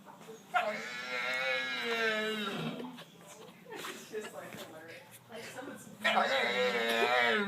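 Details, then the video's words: Pet dog named Sarge making funny noises: drawn-out, wavering, whiny howling tones, a long one at the start and another near the end, with quieter grumbling sounds between. "Funny dog noises"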